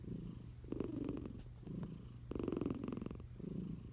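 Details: Sleeping tiger cat Eliza under a blanket gives low, vibrating snores, a longer rattling inhale followed by a softer exhale, repeated about every second and a half; faint hum underneath.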